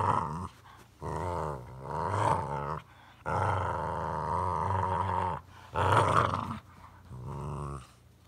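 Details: Growling during rough play between two pet dogs, Samson the Boxer and little Bella the Chorkie, at home; five drawn-out snarling growls of varied length with rising and falling pitch, broken by brief pauses, no other sounds.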